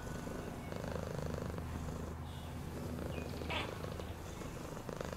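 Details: Domestic cat purring, a low vibrating drone of rapid pulses rising and falling with its breathing, a small scratchy sound midway.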